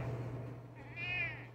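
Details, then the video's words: Pet cat Dodger meowing indoors as its owner meows back; a single high, drawn-out meow rises and falls near the end, over a steady low hum. "Dodger loves to meow."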